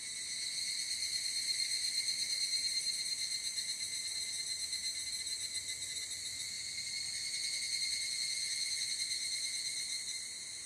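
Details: Evening cicadas (higurashi) in Japan, recorded in summer on a ZOOM F8n Pro. A dense, high, ringing chorus with stacked shimmering tones, pulsing steadily and swelling and fading slightly over about ten seconds.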